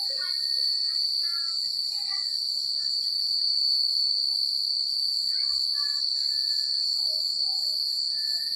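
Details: Chirping crickets on a country night form an unbroken, very high ringing trill with quick pulses above. Scattered short whistled notes come and go in the middle range throughout.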